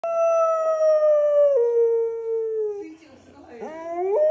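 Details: An English Springer Spaniel gives a long, slowly falling howl that breaks into short rising yelps, as it sometimes does when an ambulance comes near the home, responding to the siren.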